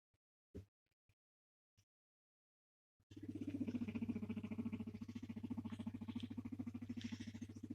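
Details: Pet male guinea pig rumbling and purring while being stroked and petted, which he loves; after a few faint taps, a steady low pulsing purr starts and runs on rapidly, several throbs per second, with a soft constant hum beneath.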